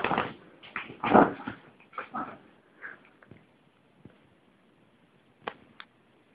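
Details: A mini Chihuahua puppy gives a series of short whimpers and yips, then falls quiet with a few faint clicks.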